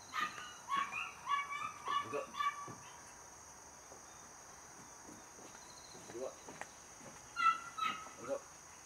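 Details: Home-raised Border Collie puppy, the third of a litter, born 5 July 2024 and 77 days old: thin, high whining yips repeated rapidly for about three seconds, a quiet gap, then another short burst, while a person gives commands in Korean.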